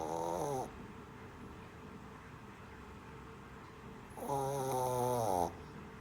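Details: Shih Tzu puppy snoring while asleep indoors; two drawn-out nasal snores, one at the start and another about four seconds later, with quiet breathing between.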